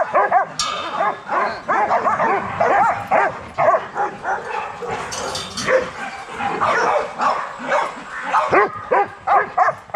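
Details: Several young Rottweilers in a kennel exercise yard bark busily and overlap one another for ten seconds, a dense run of sharp yaps and barks with hardly a pause.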